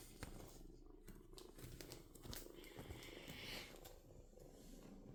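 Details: Kitten purring: a steady, low, rough rumble runs through the whole stretch, broken by scattered clicks and rustling handling noises, with a faint higher whine near the middle.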